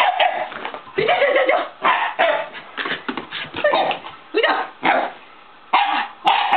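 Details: Elderly Shiba Inu grandpa dog making an excited commotion as a long-closed door is opened; a rapid series of loud, raspy barks and howling yelps, nearly continuous with brief pauses.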